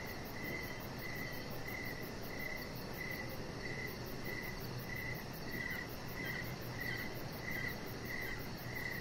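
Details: Crickets at evening outside, a chihuahua puppy lying on a lit-up deck; bright high chirps pulse in an even run, about one and a half each second, above constant low background rumble.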